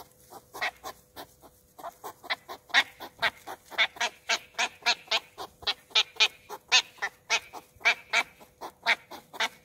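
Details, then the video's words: A West European hedgehog, recorded in Olomouc on 2 July 2019 during loud courtship, gives loud, breathy snorting puffs, roughly two each second, in a steady run. "Ježek západní Olomouc 2 7 19"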